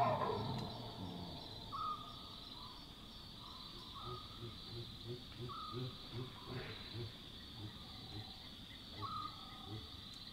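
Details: A chacma baboon at night in Northern Tuli Game Reserve, Botswana, gives a sharp alarm bark, typical when a predator is near, followed by soft, rapid low grunts over a steady insect hum.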